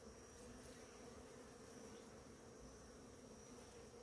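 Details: A swarm of bees working the flowers of a blooming ora-pro-nobis in the morning: continuous low, rich buzzing from many insects at once, evenly sustained, with a faint steady high whine behind.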